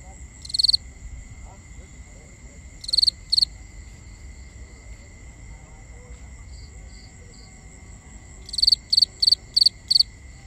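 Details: Nighttime crickets in binaural sound: an isolated high chirp, then a double chirp, then a run of five evenly spaced pulsed chirps near the end, with a steady high-pitched hum from distant insects underneath.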